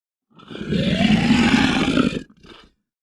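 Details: A lion gives a deep, raspy roar that holds steady for nearly two seconds. A short, quieter grunt follows after a brief gap.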